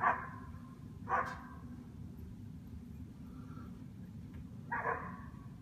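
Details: Two standard poodles chasing deer, barking to protect their people: three hoarse barks spaced over several seconds, with a long quiet gap before the last, over a steady low hum.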